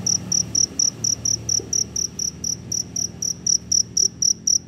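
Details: A cricket out after rain looking for a mate gives loud, shrill chirps in a fast, regular series of about four pulses per second over a quiet background.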